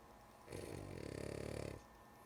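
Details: Sleepy female pet dog named Lulu snoring indoors: a single rough, rattling snore lasting just over a second, low and buzzy with a rapid fluttering texture, rising from a quiet room and fading back to silence.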